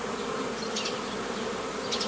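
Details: Honey bees at a hobby apiary on 15 May 2018 as nucleus colonies are formed the traditional way; a steady dense buzz with a couple of brief louder fly-bys.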